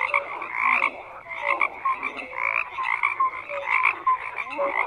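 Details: Numerous frogs croak together, harsh buzzy croaks overlapping in quick succession, punctuated by short bright whistled notes and a few rising chirps.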